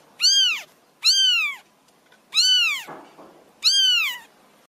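Four clear meows from a domestic cat, each a nasal, arched cry that rises and then sags in pitch. They come in a steady series roughly a second apart, with a brief rustle between two of them.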